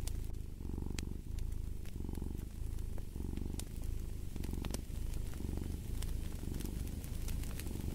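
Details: Purring cat in clear rhythmic bursts, each rumbling phrase lasting under a second and repeating roughly every 0.8 seconds, with scattered fireplace crackles in the background.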